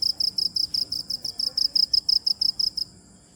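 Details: High, pulsed cricket chirps repeated about three times a second for nearly three seconds, then stopping, leaving quiet low background noise.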